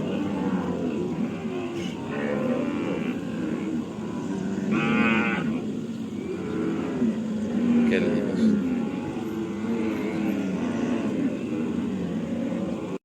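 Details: Cattle on a farm giving low, steady moos under a constant hum of background noise, with a brief higher, brighter call standing out near the middle.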